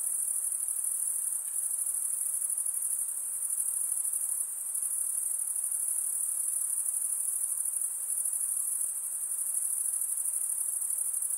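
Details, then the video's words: Steady high, piercing trill of insects calling after dark, continuous and evenly pulsing, with small swells in volume and a quiet hiss of background noise underneath. "night insect sounds"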